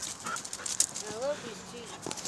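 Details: Pet huskies in a sudden burst of crazy, sprinting play after getting excited watching a malamute's stream on 10/2/17; a short whiny vocalization with rising and falling tones, over faint background noise and soft footsteps.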